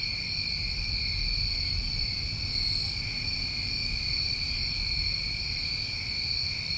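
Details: A summertime New England night with crickets keeping up a smooth, continuous high-pitched trill, a single short raspy burst partway through, and a somewhat stronger low rumble in the background.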